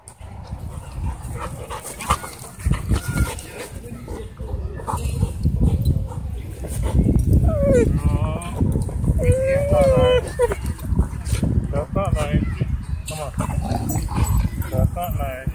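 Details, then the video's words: German Shepherd pinned by a pitbull mix at a dog park, crying for help: a burst of high, wavering whines and yelps that bend up and down, heard over wind rumble, music and people's voices. "Pinned German Shepherd Cries For Help At Dog Park"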